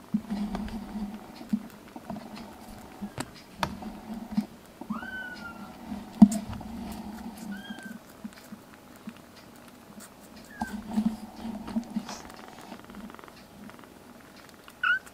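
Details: Foster kittens, black brothers, indoors in a home, give several short high meows, some rising then falling, scattered among steady low room hum and soft handling noises.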